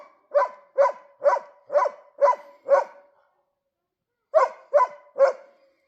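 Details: Barking dog confronting a moose in winter; six rapid, forceful barks, a pause of over a second, then three more barks in the same quick rhythm.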